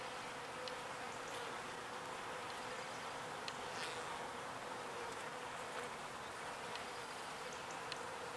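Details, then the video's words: Bees gathering pollen and returning it to their hive; a continuous, even buzzing drone lasts the whole stretch, with faint clicks and a grainy background hiss. "Petite Abeilles qui butine le pollen"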